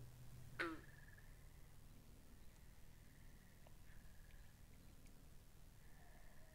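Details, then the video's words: Pond frogs captured with binaural microphones: one strong, abrupt, descending call near the start, then a thin, high, continuous trilling chorus broken into short bursts, with soft low rumble beneath. "Two Hours Of Frogs By The Pond"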